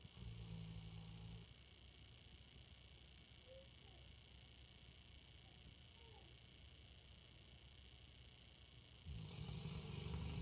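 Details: Gemma the female English Mastiff, sleeping in a dark room, gives a deep buzzing snore at the start, then long quiet, then another rough low snore begins near the end.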